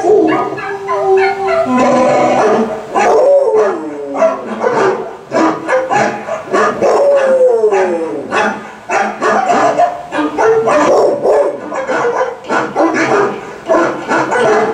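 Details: While a Volkswagen commercial plays, the dog Ginger howls in drawn-out, wavering cries that bend downward, broken by shorter yips and whimpers, continuing without pause for about fifteen seconds.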